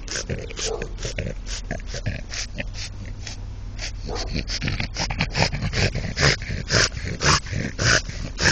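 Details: French Bulldog in love with a brick, making rapid snorting, grunting breaths at nearly two per second, rough and uneven, with a voice briefly heard in the background.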